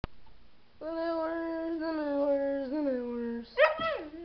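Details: Dog howling indoors: one long, steady, rich-toned note held for nearly three seconds, sagging slightly in pitch, followed by a short sharp yelp that jumps up and falls away.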